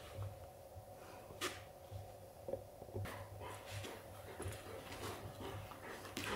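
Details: Golden Retriever father tells his son, a puppy, that playtime is over: sharp breathy huffs burst out near the start and again around three seconds, with softer snuffling between them over a steady low indoor hum.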